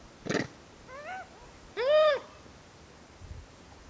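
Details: A wild Japanese macaque in summer gives two clear, tonal calls that rise and fall, rather like a drawn-out meow.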